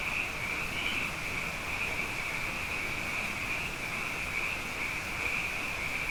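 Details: Quieter night chorus of frogs, numerous after two wet years: a continuous high shrill trill over a hissy background, with one slightly higher note standing out early on.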